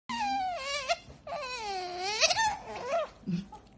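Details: Pet otter named Qoo making a long, tonal whining squeal while eating her favourite fish; two drawn-out whistled cries that dip and rise in pitch, then a short squeak, with a person's soft voice nearby.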